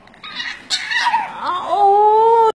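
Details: Bulldog at a kennel in Mumbai, 'talking': a rough, wavering moan that climbs and then settles into a loud, steady, clear tonal whine held for almost a second before stopping abruptly, recorded indoors.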